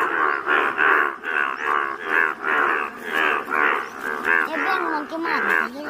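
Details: Indian bullfrogs with rare yellow colouring chorusing at Malkangiri, Odisha, India; evenly spaced throaty croaks pulse about twice per second, each a buzzy harmonic burst, backed by more frogs calling underneath.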